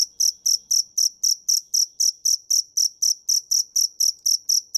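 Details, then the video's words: Close, loud field cricket (dế mèn) chirps, each a short, shrill pulse repeated evenly almost four times a second over a quiet background. "Tiếng dế mèn hay nhất 2017 - The crickets - Cricket"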